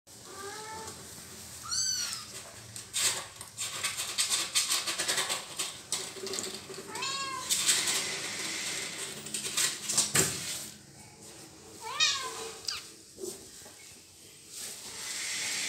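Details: Little kitten meowing for help while its mother cat bites it: four high, bending meows with rich overtones at irregular intervals, between bursts of scuffling, rustling and thumping as the cats tussle indoors.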